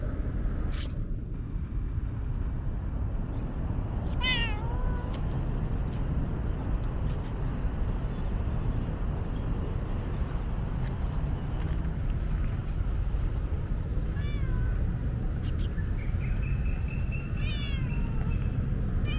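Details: Thirsty female tabby cat on a hot day, meowing for a drink: three short, wavering meows near the middle and end, quieter than the constant low background rumble.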